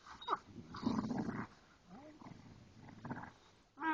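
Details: Ridgeback and Boxers at play inside: low rumbling growls with a brief rising whine in the middle, rough breathy snarls, and a sudden loud yelp-like sound at the very end.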